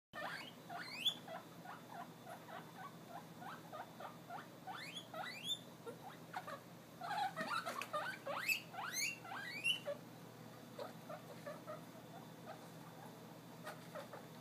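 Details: Guinea pigs wheeking after hearing vegetables being prepared: a string of sharp, rising squealing whistles, some single, some in quick clusters, building to a dense burst mid-way before thinning to quiet.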